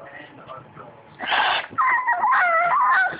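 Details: Boston Terrier, a pet dog indoors, whining because it wants attention; a short muffled huff followed by high, wavering whimpers that rise and fall, after a person asks what is wrong.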